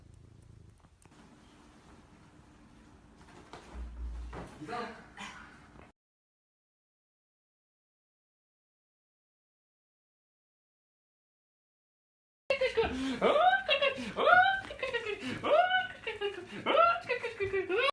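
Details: Ariel the caracat, a cat, gives a quick run of tonal, arching meows in its final five seconds, each rising then falling. Faint rustling and knocking come first, followed by a silent gap.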